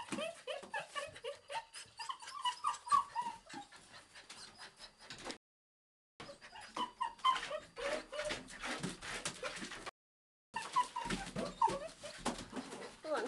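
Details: Playful bobtail puppy on the rampage, whining and yipping in strings of thin, high whimpers, broken by two brief silent gaps.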